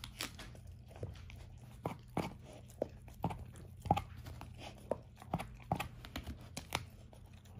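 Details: A 13-year-old German Shorthaired Pointer, Ava, tears and crunches a dehydrated turkey wing for breakfast, eating one for the first time. Separate loud crunches land roughly every half second, with softer tearing between, in a small indoor room.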